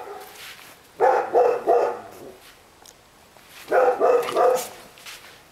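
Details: Female Rottweiler giving two quick series of deep, rough barks, three or four barks each, separated by a short quiet gap.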